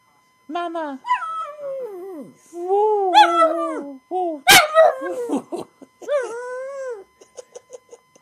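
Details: Pug howling for its owner indoors: a series of drawn-out, wavering, whining howls rising and falling, each one to two seconds long, with a sharp click midway, then short yips trailing off at the end.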